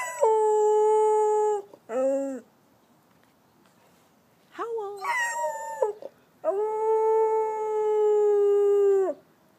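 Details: A rescued Chow-Golden Retriever mix howls back at its owner in long, steady, mid-pitched tones, answering questions in a howling conversation.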